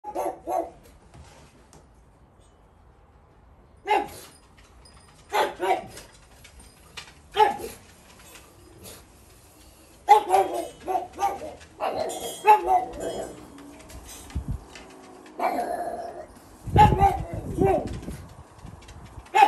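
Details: Two pugs on backyard patrol for intruders bark in short, sharp bursts, some single and some in quick runs.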